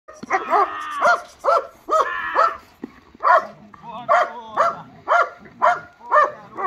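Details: Black German Shepherd fighting: loud, harsh barks come in a steady run about twice a second, some drawn out and whining, with low growling rumbles between them and a voice faintly in the background.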